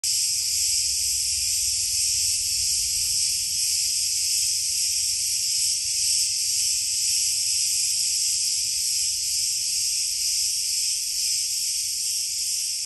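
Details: A cicada in Crete, Greece, gives a steady, high, shrill buzz that drones on without a break.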